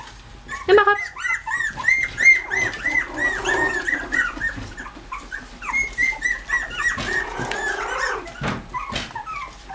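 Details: Bichon Frise puppies with their visiting mother: a loud, close run of high, nasal, sliding whines repeated rapidly for several seconds, pausing briefly, then resuming, with a woman's soft voice and small room sounds.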